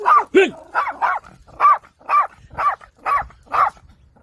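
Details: A dog barking to protect a child while interfering with grandfather's farming: a run of about nine sharp, high-pitched yapping barks, repeated roughly every half second, with faint background noise.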